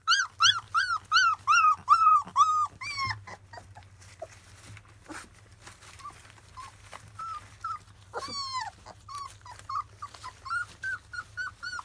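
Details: Field-type Labrador Retriever puppies, 25 days old, at their first weaning meal: a run of loud, high, arched whimpers repeated about every half second for three seconds, then softer scattered squeaks and one drawn-out wavering whine near the end.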